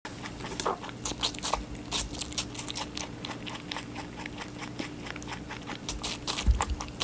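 An Angora rabbit chews steadily, giving rapid, crisp crunching clicks in quick irregular bursts.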